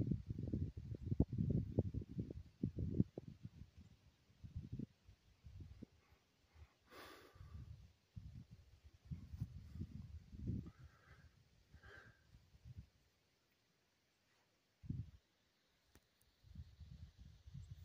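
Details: A large bull that wandered into a campsite one morning, sniffing at a friendly bulldog. Low, breathy snorts and huffs come in uneven bursts, then a pause of about two seconds before a single puff and further snorting.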